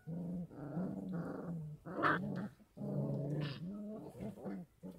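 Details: Kangal puppies, 33 days old, raised at a Kangal dog farm and fed goat milk and infant formula because the mother's milk falls short. They give low, harmonic growling whines in long bursts with short gaps between them.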